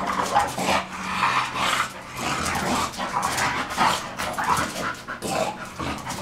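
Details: Pair of English Bulldog x Bull Terrier dogs playing together; roughly one gruff growl or huff per second, uneven, with panting breaths and scuffling between.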